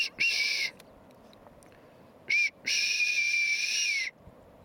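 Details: Hoary marmot in Mount Rainier National Park calling with loud, piercing whistles: a short note, a brief chirp, then a long steady whistle held over a second, all high and clear over quiet background.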